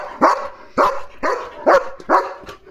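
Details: Leo, a German Shepherd on guard duty when a parcel is delivered, gives five loud, evenly spaced barks roughly every half second, with faint household background.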